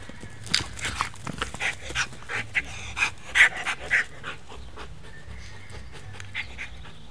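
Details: Belgian Malinois named Grato, from the Des Champs kennel, panting in a steady run of short, breathy bursts about three per second. The bursts swell louder midway, then fade into quieter breathing with faint background hiss.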